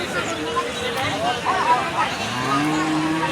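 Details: Cattle at the Raniganj Monday market in Ghoraghat, Dinajpur, Bangladesh, 6/3/2026: crowd chatter and voices dominate, then a low, steady moo rises near the end over the babble.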